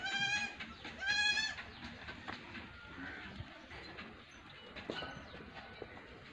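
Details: Baby goat kid at play giving two wavering, nasal bleats in the first second and a half, followed by quieter rustling and faint background noise.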